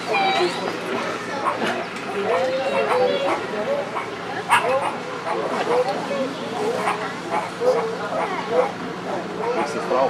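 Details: Meerkat group raising the alarm at an ultralight plane passing overhead, many members giving yelping-barking calls at once: dense, overlapping short yelps and barks throughout, with music also present.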